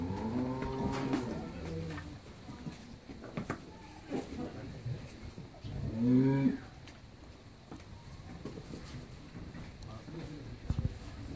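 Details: Pregnant Holstein Friesian cow, nine months in calf and due to give birth a second time, on a dairy farm in Pabna, Bangladesh, in the afternoon: two deep harmonic moos near the start and six seconds, with faint background noise between.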